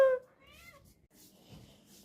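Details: Lakshmi, a cat who has accepted a small kitten as her own, gives a loud sharp meow, then a softer rising-and-falling meow, followed by near silence with faint rustling.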